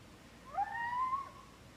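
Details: Tied-out three-year-old Siberian Husky, Big Guy, giving one short high whining scream that rises then sweeps gently downward, clear and tonal over a low steady background hum.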